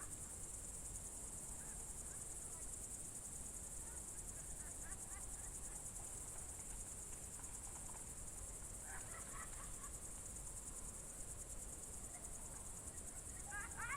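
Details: Crickets on a June 2023 evening in the Novye Buregi tract, Novgorod Oblast, Russia: a steady, high, finely pulsed shrill trill runs without pause, with faint scattered bird chirps in the background.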